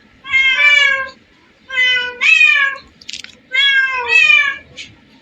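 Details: Among hundreds of cats gathered in one place, three long, clear meows sound, the second bending upward at its end, with brief soft clicks between calls and a faint low rumble beneath.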